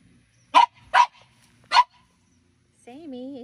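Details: Playful French Bulldogs in a garden beneath a grape pergola on a morning, young female Minnie Rose pestering older Sami: three loud, short barks in quick succession, followed by a pause and human talking.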